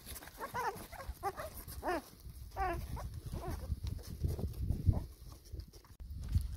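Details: Four-week-old pedigree black Labrador Retriever puppies with their mother, feeding and enjoying the sunshine; a run of high, squeaky, bending whimpers, about five in the first three seconds, then low rumbling and shuffling noises.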